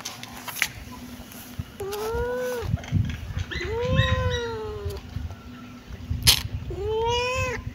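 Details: Cute kitten giving three drawn-out meows, each rising slightly then falling at the end, spaced a couple of seconds apart, with clicks, handling noises and a steady background hum.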